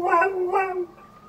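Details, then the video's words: Border collie howling in imitation of a fire truck siren: two short wavering tonal wails with rich harmonics, the second trailing off into a thin, fading whine. "Dog howls like fire truck"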